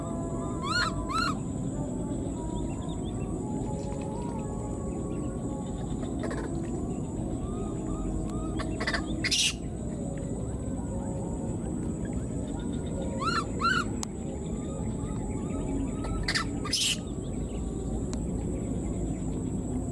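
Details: A wild newborn baby monkey, left behind, gives high, thin, tonal cries in short bursts as it keeps calling for its mother.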